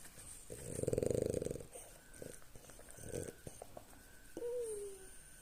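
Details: Female French Bulldog, lying down with her belly scratched after her morning walk, snores: a loud buzzing rattle of about a second, softer snorts, then a thin falling whine near the end.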